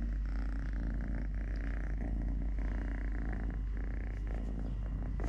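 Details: Totoshka, a three-legged pet cat, purring steadily with a deep continuous low rumble; faint rustling and handling sounds over it, no other animals.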